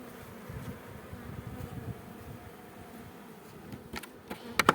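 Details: Honey bees at an apiary in a beekeeping operation, a steady low buzzing hum filling the background, with a few sharp clicks and taps near the end.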